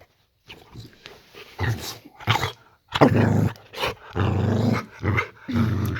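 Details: Bedtime growling from Layla the Boxer in a bedroom at night: a run of low, throaty growls coming in uneven bursts of about a second each, with a person repeatedly saying "that's enough" over them.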